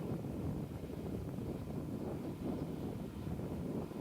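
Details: Steady low rumble of wind buffeting the microphone, with what sounds like a boat engine underneath; no animal voices.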